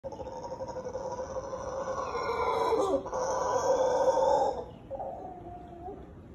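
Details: A howler monkey in Guanacaste, Costa Rica, gives a loud, sustained, rasping roar that swells and then breaks off. The roar is a show of dominance warning other males to stay clear.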